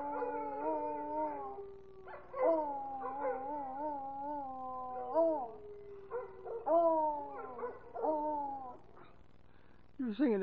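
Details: American Foxhound singing along with its owner, drawn-out howls sliding slowly downward, broken into wavering phrases, ending with a short sharp upward yelp.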